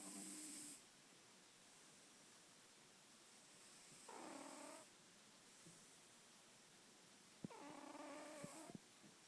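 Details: Female pet cat snoring indoors: three separate, tonal, faintly whistling breaths with stacked harmonics, each under a second long and spaced about three to four seconds apart. A quiet room hiss lies beneath.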